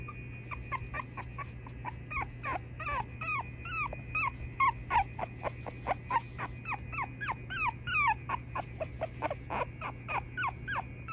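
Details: Little male Boston Terrier pup whining almost continuously: rapid high squeaky cries, many bending up and down in pitch, repeated several times per second, with a constant low mechanical hum behind.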